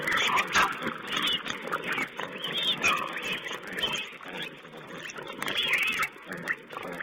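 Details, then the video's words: Several wild pigs jostle and feed in front of a webcam on 20 April 2010, producing a steady, busy mix of short grunts and higher squeals. Harsh, overlapping bursts come in quick succession, with a few louder squeals rising above the din. "Wild Pig Cam2: feeding"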